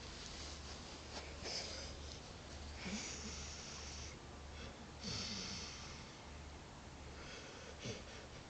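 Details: Dog called Jack asleep indoors, giving rough wheezing snores and snorts in uneven bursts about every two seconds, with a constant low electrical hum underneath.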